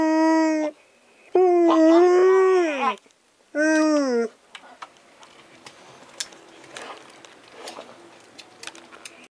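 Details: Siberian Husky howling in reply to a Pomeranian's cries, filmed 11/7/2016 at 6:59 PM: a short howl, then a long wavering one that slides down at its end, then another brief howl, followed by quieter indoor clatter.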